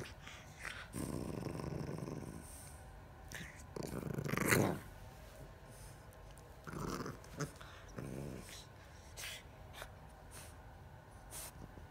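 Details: Iris the Bulldog playing silly, a string of low rumbling growls and grumbles, one long burst early, a louder harsh outburst near four seconds, then shorter grumbles, with faint voices in the background.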